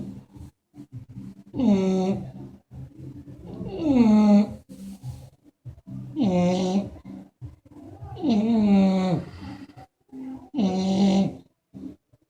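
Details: English Bulldog snoring: five loud, voiced, groaning breaths, each falling slightly in pitch with rich harmonics, repeated roughly every two to two and a half seconds, with soft raspy breathing in the gaps.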